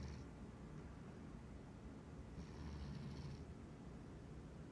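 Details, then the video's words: Domestic cat asleep and dreaming in the middle of the day, snoring with low rumbling breaths and brief faint hissy wheezes near the start and around the middle. "Cute cat is snoring, twitching, dreaming and waking up."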